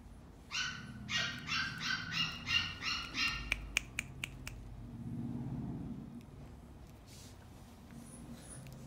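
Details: Dog at a pet shop, indoors, giving a quick run of about eight high, yappy barks in under three seconds, then several sharp clicks and a low room hum.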